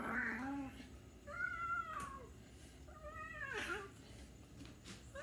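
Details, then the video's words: Cat meowing indoors: a few quick mews, each arching up and then dropping in pitch, fairly quiet against a low background hum. "The cat meow"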